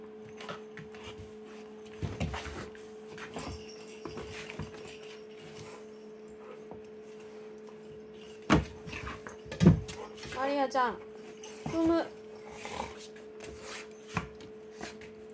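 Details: Pet cat indoors, playing with a scratching post that doubles as a ball toy box it has just figured out; a few short wavering meows around the middle, amid knocks, rattles and a steady electrical hum.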